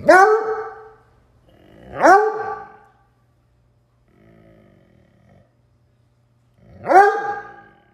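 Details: A Bluetick Coonhound living as a couch-dwelling pet gives three loud, deep barks with a ringing, bawling edge, spaced a few seconds apart.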